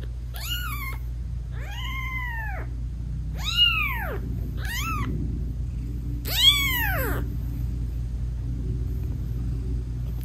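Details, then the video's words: British Shorthair mother cat meowing sweetly to her newborn kittens while nursing and cuddling them; five arched, falling meows of varying length spaced one to two seconds apart, over a constant low hum, no music. "Cat Purring Meowing 🥰Sweet Mommy Cat Talking to her Cute Tiny Kittens"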